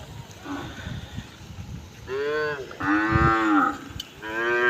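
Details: Several cows gathered together on a road: a faint short low call, then three loud harmonic moos around two seconds in, each about a second long, the last one cut off. Low thumping background noise throughout.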